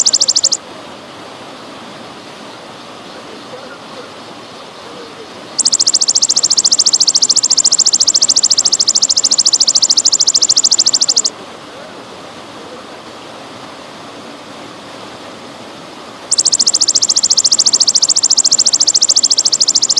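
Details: Golden grasshopper calling in bouts over trickling water: a brief shrill buzzing trill, a pause, a roughly six-second rapid pulsed buzz, another pause, then a third buzzing bout, with a steady watery hiss throughout.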